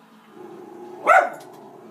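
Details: Female Schnauzer barking at animals she sees on a TV screen: one sharp, loud bark over a low background hum.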